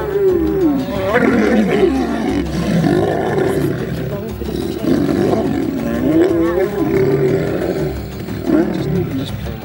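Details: African lion, a male battling to protect its territory, keeps up harsh growls and snarls for nearly ten seconds, with tones sliding up and down over a heavy low rumble.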